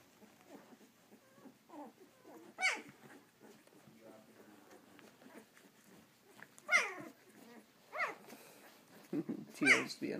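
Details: Eleven-day-old Samoyed puppies give high, wavering squealing whines with bright harmonics. Three louder cries rise and fall near the start, middle and end, between softer squeaks, with a woman talking quietly indoors.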